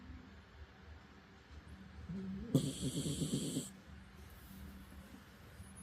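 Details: A 12-year-old senior Spitz dog snores in its sleep, a low rough rattle with one louder snorting burst.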